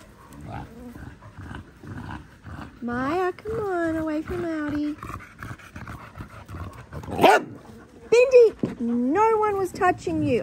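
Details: A baby Australian cattle dog named Linc at play with big puppies in a paddock: clustered high, harmonic yips and whining barks in short bouts, one sharp noisy burst midway, then more rising and falling yelps, with voices in the background.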